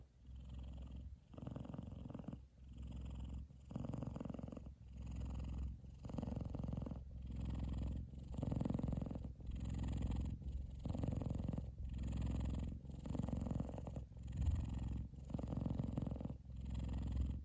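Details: Loud, deep purring from F2 Savannah cat Kumba, fast asleep and cuddling with his brother Taj on top of his head; rumbling bursts repeat steadily about every second, each inhale and exhale clearly separated.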